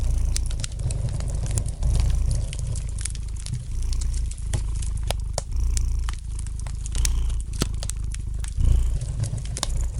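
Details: Gentle purring of a domestic cat by a fireplace, a continuous low rumble pulsing in breath cycles roughly every one to two seconds, overlaid with light, irregular crackles and pops from the fire.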